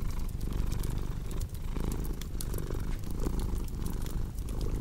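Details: Close, rumbling purr of a domestic cat, deep and unbroken, with soft rhythmic swells as it breathes in and out, accompanied by light fireplace crackles.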